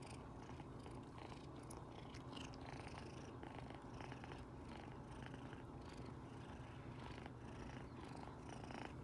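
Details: Kitten Rino, a pet cat, in a loud contented purr while its owner pets it beside its relaxing tabby sisters; the rumbling purr runs steadily throughout, with light scratchy handling sounds above it.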